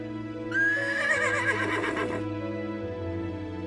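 A horse gives a shrill whinny lasting under two seconds: a high opening note shaking down into a quavering, fading neigh. Steady background music plays throughout.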